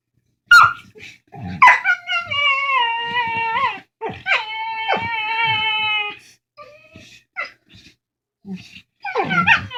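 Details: Two dogs talking to each other over a bone, mixing sharp yips with long descending whines and moaning vocal phrases, interrupted by scattered short squeaks and grunts, with a final burst of yips.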